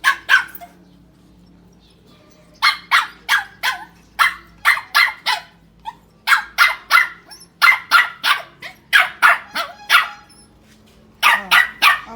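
A Shih Tzu barks in sharp, high yapping bursts, often in quick pairs or runs.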